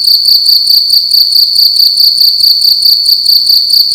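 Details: A cricket calling loudly at night inside a room: a steady, shrill high-pitched trill of rapid pulsed chirps, about ten short pulses per second, continuous without pause, with no other sounds.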